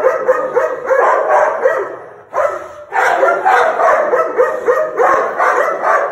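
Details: Snarling American Pit Bull Terrier, September 27, 2019; dense, gritty bursts run together in fast irregular bouts, broken by one short lull near the middle.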